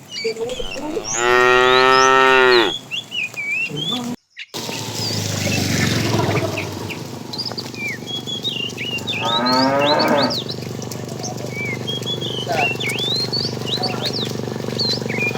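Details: Tame cows roaming at the start of their morning looking for food; one long, loud moo, a burst of rustling noise, then a quieter, shorter moo, with birds chirping and a steady low hum.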